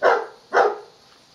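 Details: Pet dog barking during a ball-fetching game: two loud, sharp barks about half a second apart, with a quiet indoor background.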